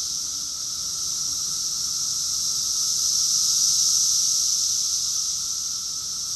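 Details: Cicada chorus recorded in summer, June 2021, in Rockville, Maryland, USA: a dense, continuous high-pitched hissing drone that slowly swells louder toward the middle and eases off again, with a faint steady lower hum underneath.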